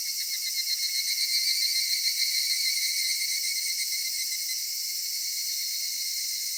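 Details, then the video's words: A cedar-forest cicada chorus on a summer evening, shrill buzzing that pulses rapidly and swells during the first two seconds, then settles into a smoother, steady drone. "夏夕暮れ杉林 セミの鳴き声"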